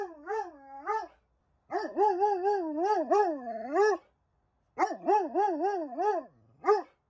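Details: Dobermann suffering separation anxiety, left alone, producing long, wavering, yodel-like whining howls in three drawn-out bouts, each pitch rising and falling repeatedly, separated by brief silences, ending in a short low moan and a final yelp.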